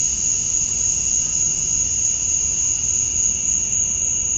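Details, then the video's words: Summer dusk chorus of male cicadas in Georgia, USA, calling to attract females: a continuous shrill, level drone with a softer second tone underneath and a faint low rumble in the background. "Cicadas at Dusk, Summer Night"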